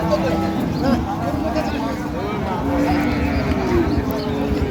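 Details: Cattle among cows with calves for sale at Raniganj haat in Dinajpur, 27 November 2025: long, level lowing notes drift under constant market chatter and bargaining voices, with faint engine noise.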